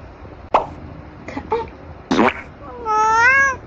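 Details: Tabby cat munching treats: several crunchy chewing and smacking noises, followed by a clear meow that rises then levels off near the end.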